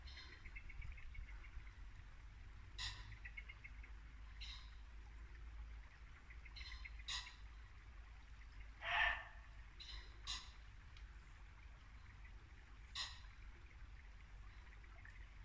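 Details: A muntjac deer gives short, sharp single barks at irregular intervals a few seconds apart, in Norfolk woodland at dusk in late winter, with a babbling brook, pheasants and birdsong around.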